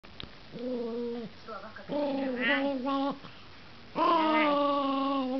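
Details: Russian toy terrier Gerz von Dante, recorded 3 December 2012, giving steady, drawn-out whining tones in three separate stretches, the last one louder and longer, with brief quiet gaps between them.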